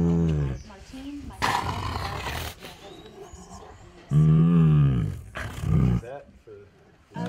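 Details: A 16-year-old female Bengal tiger at an animal rescue in San Diego gives deep, rumbling, roar-like calls, one long and another shorter, over background music and bursts of broadband noise.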